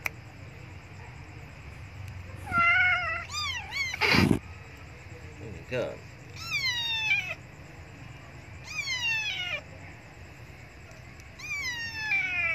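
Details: Abandoned female kitten crying loudly for milk, indoors: about five high, harmonic meows, each bending downward, spaced a few seconds apart, with a sharp clattering burst between the early calls and a low background hum.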